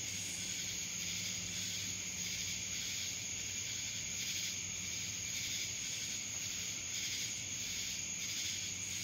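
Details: A steady, piercing cicada buzz from Dallas, Georgia, shimmering with quick rhythmic pulses and almost no other sound.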